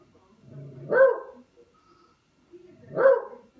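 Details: Dog playing with a katydid bug lets out two sharp, full barks about two seconds apart, each preceded by a low grumbling build-up, in an otherwise quiet setting.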